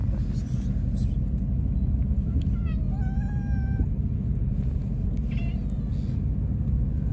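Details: Hungry one-eyed stray cat eating outdoors while other cats try to take its food; one clear sustained meow mid-clip with faint higher mews, constant low rumble of traffic.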